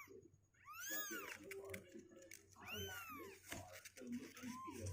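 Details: Two-week-old kittens, 16 days old, indoors, legs growing stronger and unwilling to stay in their box; three high, arching mews spaced about two seconds apart, with low room hum and faint background noise.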